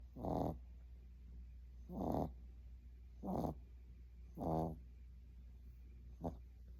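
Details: Sleeping Boston Terrier puppy snoring: rough, throaty breaths about every one and a half seconds, four full snores then a short fainter one, with quiet hiss between.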